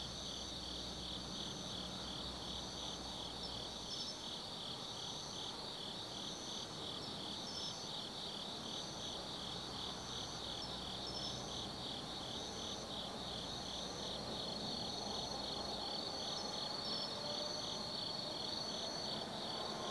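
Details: Autumn insect chorus at night in Tsukimi no Mori, Kaizu, Gifu, Japan; several high pulsing trills layered together, one rhythmic and beat-like, over a hissing background and a low rumble that comes and goes.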